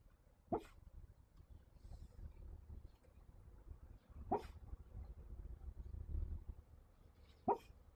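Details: Samoyed dog asleep, snoring and sleep-talking: three short, muffled yips spaced a few seconds apart rise above soft, low snoring breaths in a quiet room.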